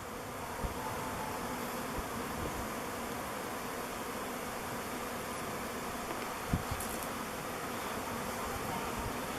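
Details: Honey bees swarming in their thousands near a log hive they are choosing as a new home; constant humming buzz, even and unbroken, with one brief knock.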